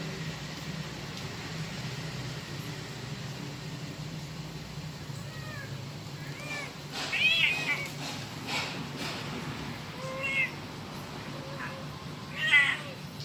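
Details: Kitten calling its mother, giving a few short high mews spaced several seconds apart, louder bursts near the middle and end, over a steady low background hum.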